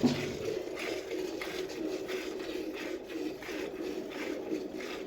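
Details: Steady low indoor ambience with faint shuffling and soft scraping, and no clear animal voice.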